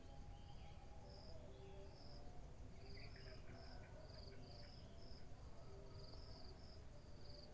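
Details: High, evenly spaced cricket chirps on a morning, continuing through steady low-frequency noise, with a short rapid bird trill partway through and softer tonal notes below.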